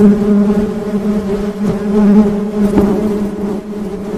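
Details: Honey bees buzzing: a steady low hum centred near 200 with a harmonic band above, continuous throughout with small swells and a few faint clicks.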